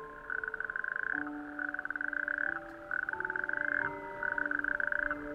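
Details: Male natterjack toads chorus on a warm May evening from small rocky islets of an outer coastal archipelago, giving loud, rapid rattling trills in bursts of about a second at night, inflating vocal sacs to attract females.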